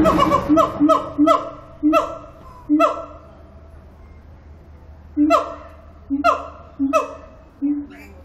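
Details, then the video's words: At Antwerp Zoo, a siamang sings in loud, harmonic whoops and barks, delivered in quick bursts with pauses between. "Siamang - Symphalangus syndactylus Singing"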